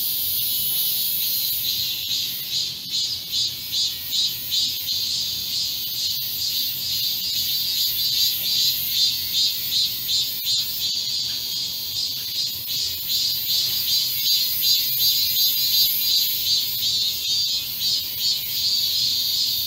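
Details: Cicadas singing in a garden in Korea on 31 July 2022, during a midsummer heatwave, in solo and chorus: a high, shimmering buzz that pulses in quick, regular waves.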